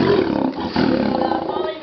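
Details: A captive lion at a big-cat park in Oregon, being hand-fed meat pieces, growls in a harsh, grating rumble that rises, dips, surges and trails off over about two seconds; a person's voice is faintly mixed in.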